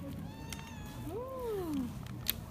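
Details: A cat excited at the sight of chicken breast, swatting at a person's hands with claws out; one drawn-out meow rises then slides downward, with faint room noise and a brief click near the end.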